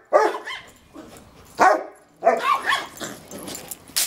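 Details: Yorkshire Terrier, a fearless visiting dog, barking and yapping while harassing a Rottweiler: sharp high barks at the start, near 1.6 seconds and in a rapid cluster from 2.3 seconds, with snarly yips between.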